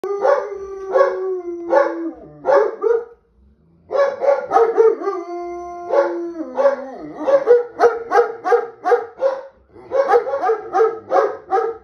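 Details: German Shepherd reacting to a police car alarm: a steady mid-pitched howl wavers, then breaks into short harmonic yelping barks. After a brief pause it gives another sustained howl, followed by rapid strings of barks repeated about twice a second.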